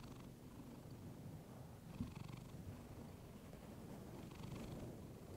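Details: Female domestic cat purring into a fluffy microphone, recorded close up for relaxation: a continuous low rumbling purr with a brief soft tap near two seconds and breathy inhale swells about every two and a half seconds.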